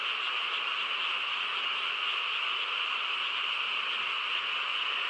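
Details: Night-time frog chorus in calm countryside, an uninterrupted buzzing blend of many trilling croaks at an even level, nothing else clearly heard.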